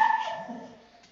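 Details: Brandy, an anxious, fearful pit bull bully mix, aroused on his first day in training. A single short harmonic whine fades out over about a second, with people talking nearby.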